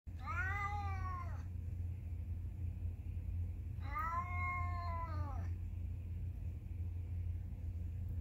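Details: Cat meowing twice, each call about a second and a half long with a rising-then-falling arched tone, separated by a pause of about two seconds, over a steady low background hum.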